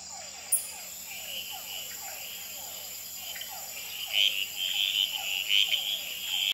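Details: Red-eyed treefrogs, males calling, tremulating and fighting on a potted plant at the Experimental Pond in Gamboa, at night under infrared: a steady series of low, downward-sliding pulses, then brighter high chirps from other frogs, with hourglass treefrogs calling in the background.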